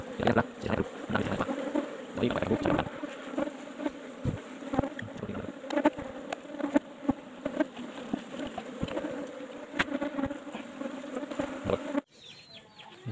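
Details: Asian honey bees (Apis cerana) kept in an old-style hive box, heard while honey is being harvested. A steady, low droning hum with a higher overtone runs throughout, broken by frequent knocks and clicks, then drops away abruptly near the end.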